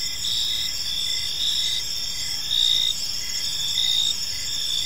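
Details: Crickets singing in an evening park: a bright, piercing steady tone from multiple insects, punctuated by stronger chirp bursts near one per second, louder toward the end, over soft background noise.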